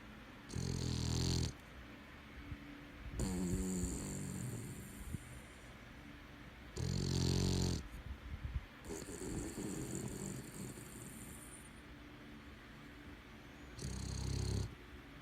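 A Boston Terrier snores with loud, rasping breaths roughly every three seconds.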